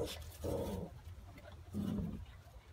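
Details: A 2.5-month-old Phu Quoc Ridgeback puppy, offspring of Vằn and Mowgli, displaying hunting instinct, gives two short, throaty barks about 1.3 seconds apart, the second lower and rougher, against low indoor rumble.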